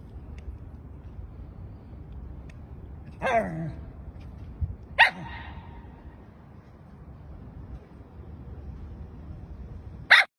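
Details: Three short, sharp barks from a puppy playing with a balloon, spaced a couple of seconds apart and the last after a longer pause, over a low, steady background rumble.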